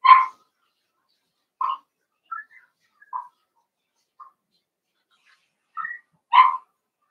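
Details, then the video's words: Playing Cavalier King Charles Spaniel puppies raised in a home puppy pen give sharp, short high yapping barks, one every second or two, with thin squeaky yelps between and a loud bark at the start and end. "Cavalier Puppies Live: Puppies Playing"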